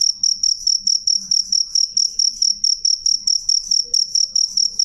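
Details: A loud, clear cricket chirp, with bright high pulses repeated at an even pace of about three or four per second and faint low background murmur.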